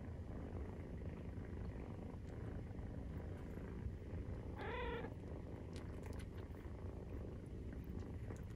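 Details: Low, even purring from 43-day-old Maine Coon kittens at the breast, interrupted midway by a single short, tonal mew.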